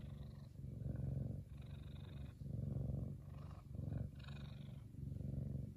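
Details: Happy F2 Savannah cat Kumba, a big male, purring: a throbbing low rumble broken into roughly five breath cycles, each rising then briefly dropping away.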